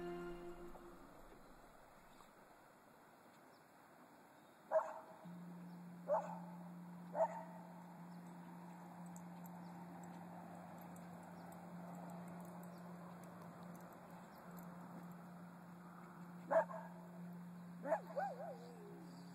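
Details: Maggie, a mother cocker spaniel once kept in a Phoenix puppy mill and later rescued after escaping with her one-year-old son, gives five sharp barks: three about a second apart, a long pause, then two more, over a steady low hum.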